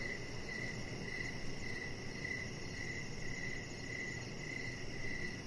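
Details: Outdoor evening ambience of crickets by a deck with decoration lights, a chihuahua puppy lying nearby; rhythmic chirps pulse about twice a second above a wash of steady background noise, a thin high insect trill persisting behind.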